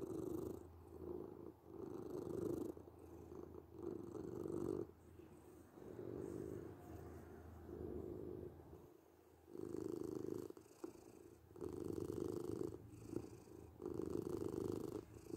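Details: Purring domestic cat, a continuous low rumble rising and falling roughly every two seconds, with one softer, quieter stretch about midway through.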